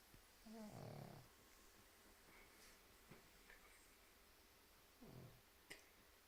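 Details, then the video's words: Pug asleep and snoring, giving a loud rough snort near the start and a softer, shorter one about four seconds later, with faint room noise and small clicks between. "Спящий храпящий Мопс"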